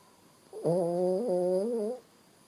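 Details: Bo Bo, a sleeping Shih Tzu dog indoors, gives one drawn-out snore lasting about one and a half seconds. It is a steady, nasal, slightly whistling tone with a small wobble near the middle and clear overtones, in an otherwise quiet room.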